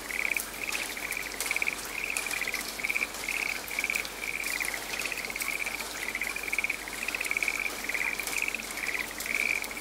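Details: A frog in a rainy forest gives a steady run of brief pulsed trills, each burst rattling and slightly rising, repeated roughly twice a second with hardly a pause, while constant rain patters in the background.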